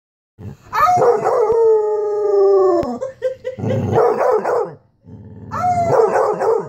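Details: Black and Tan Coonhound howling along with a woman on a Sunday morning: a long sustained howl with slowly falling pitch, then broken, wavering howls mixed with the woman's voice howling in time.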